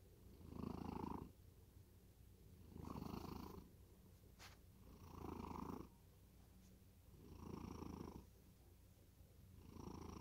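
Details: Cat deep asleep and snoring: five low, throaty rasping breaths spaced about two and a half seconds apart, each a soft swelling rumble with quiet gaps between, in a calm indoor setting.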